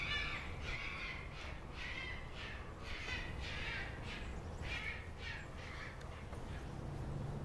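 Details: Repeated hoarse, buzzy cries, roughly every half second to second, from a male red fox left out while a pair of red foxes mates, over a constant low rumble of background noise outdoors.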